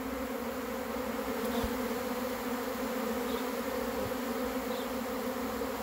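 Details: Swarm of honey bees arriving, a dense, steady droning buzz holding a low, even hum without pause, a few faint ticks and knocks in the background.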